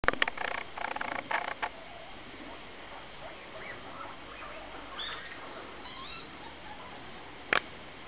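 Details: Smooth-haired and coronet guinea pigs give brief, high-pitched squeaks and chirpy notes, spaced irregularly. Scratchy rustling bursts at the start and a sharp click near the end break up the quieter stretches.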